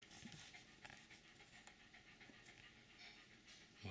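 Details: An almost 17-year-old Jack Russell Terrier pants softly and quickly while resting happily in his favourite place, an office chair, on 21 March 2024. The breaths are faint and hissing, close together, with a quiet room behind them.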